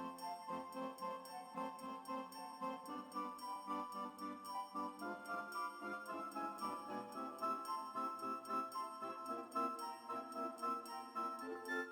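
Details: Jingling, bell-like music plays throughout, with no animal sounds heard.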